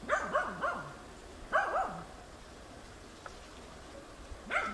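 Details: Tina, a hunting dog in training, baying at young wild boar on 6 March 2013: a quick burst of three hoarse, falling barks, one more bark after a pause, then another starting at the end over quiet outdoor background.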